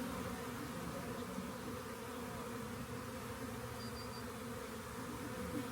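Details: Swarming honey bees by a rain gauge, soon to be collected; a constant low humming drone with a faint, brief high-pitched double tone in the background.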